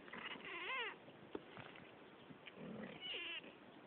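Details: Two domestic cats talking: two drawn-out meows about two and a half seconds apart, each rising then falling, with a soft steady hiss behind them.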